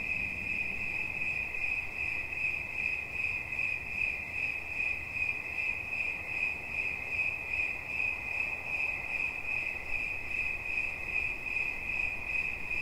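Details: Steady cricket chirping, relaxation sounds: a shrill, ringing pulse train at constant pitch, beats faintly audible as rapid regular throbs, carrying on without pause against a hushed low background.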